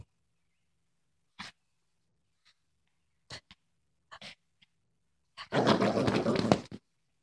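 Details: Female Boston Terrier acting tough indoors: a few faint clicks and snorts, then one harsh, noisy, rasping growl-like burst lasting just over a second near the end, in a quiet small room.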